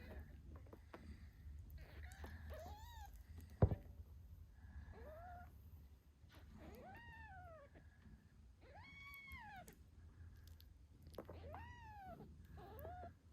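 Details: Eight-day-old British Shorthair kittens meow while their mother Moon Stone nurses them: repeated thin arched mews, rising then falling, come every one to two seconds over a soft low purr.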